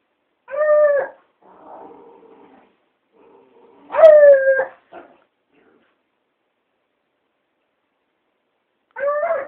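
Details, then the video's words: A hound howling at a cat gives short, wavering howls with bright harmonics, separated by soft whimpering in between. "Hound dog howling at the cat...."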